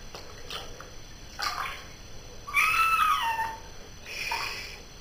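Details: During its bath, a house cat lets out one strong meow that rises slightly and then falls away, followed by a softer call and light water noises.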